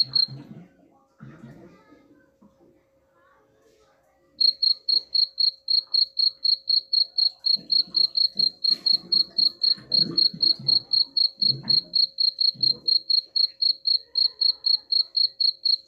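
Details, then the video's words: After about four seconds of scattered low knocks and rustling, a cricket starts a fast, regular series of sharp high chirps, around four per second, continuing to the end; intended to scare rats away. "suara jangkrik pengusir tikus ampuh"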